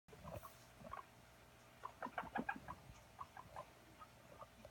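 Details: Guinea pig at playtime, running around; short chirping squeaks scattered through the clip, with a quick cluster of bright peeps in the middle, over a low steady background hum.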